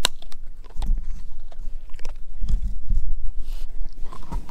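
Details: Edu, a German Shepherd mix, gnawing a dehydrated pig ear dog chew indoors; dense irregular crunching and biting clicks with low thuds, loud and close, continuing throughout with no voices.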